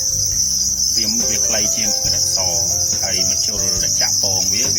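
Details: Red cricket, a red type of cricket, giving a continuous high, shrill, steady trill throughout, with sliding, music-like tonal sounds and low hum underneath.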